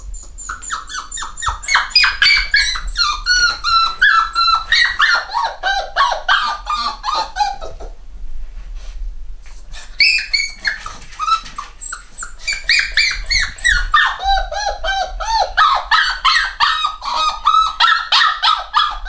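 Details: Several eight-week-old black Cockapoo puppies from a home-bred UK litter squeal and whine together in loud, rapid bursts, with a short lull near the middle before the chorus of high yelps resumes.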